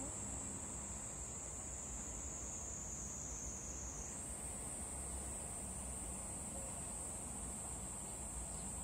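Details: Cicada on a cherry tree producing a loud, sustained high buzz that steps slightly higher in pitch midway and then holds steady, over faint low background noise.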